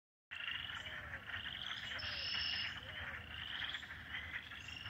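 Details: Wild frogs calling loudly at night from a pond on a Michigan property in springtime, March 25, 2020: a dense, continuous chorus of overlapping high trilling chirps, steady throughout with no pauses.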